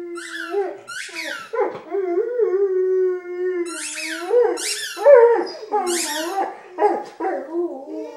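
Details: Buddy, an adopted six-year-old Vizsla male, howls in September 2012 while large squeaky tennis balls squeal. A steady, droning howl gives way to wavering, broken notes between repeated high, harsh squeak bursts.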